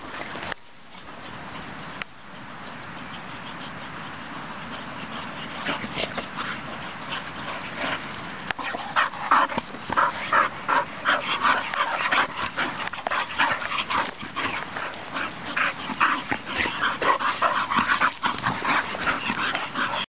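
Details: Two young English Bull Terriers play-fighting on a field by a farm, with rapid, raspy growls, yips and whines tumbling over each other.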